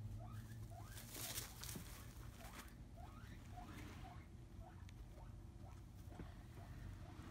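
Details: Snuggled in her fleece bed at home, the skinny pig Piper makes a run of faint, short chirping squeaks, a few every second, over steady low background rumble.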